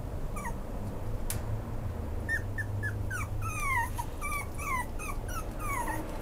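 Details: Maltese x Pomeranian puppy giving a series of thin, high whimpering yips, each a short falling or arched whine, coming faster and more continuous in the second half, over a steady low hum.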